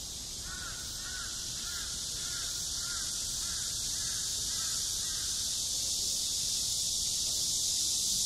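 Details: Seoul National University campus in high summer, in front of Gwanjeong Library: cicadas keep up a loud, unbroken high-pitched drone. Faint bird chirps repeat roughly every half second through the first five seconds.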